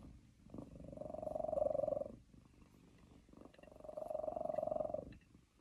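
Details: Pet cat purring while sitting on its owner's lap, annoyed at not getting enough treats; a steady low rumbling purr in two long swells, each building and fading over about two seconds, with a quiet pause between.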